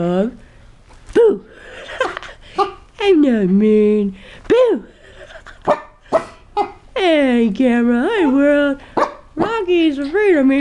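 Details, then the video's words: Rocky, a seven-month-old, 12-pound Chihuahua and Cocker Spaniel mix, reacts fearfully indoors to a new motorized stuffed toy, giving short, sharp, high yips and barks scattered between a man's talking. "Rocky scared of his new toy"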